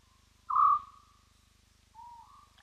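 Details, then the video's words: Single whoop from a spotted hyena at Roy's Dam on a live camera feed: a strong, steady tonal note, then a quieter, lower note gliding upward a second later, over a faint electrical hum. "Spotted Hyena, Whooping as Hyena do"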